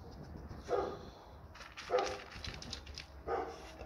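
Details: Three single, harsh barks from an American Pit Bull Terrier, spaced roughly every 1.3 seconds, with a faint steady hum and light hiss between them.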